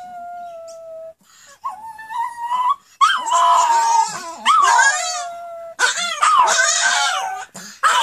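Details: Several female Pomeranians indoors, set off into a howling frenzy by their owner howling first. A long steady human-like howl opens, then loud, overlapping, wavering dog howls rise and fall, broken by yips and whimpers in repeated bursts.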